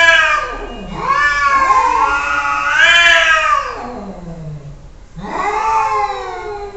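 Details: Cats arguing and talking to each other with long yowling meows: two extended wavering wails that dip low and climb again, then after a brief pause a third rising, falling cry.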